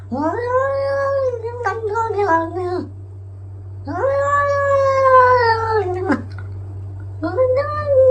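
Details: Domestic cat indoors giving three long, drawn-out wailing meows, each rising then holding steady before dropping away, with a lower wavering tail on the first; a steady low hum runs underneath.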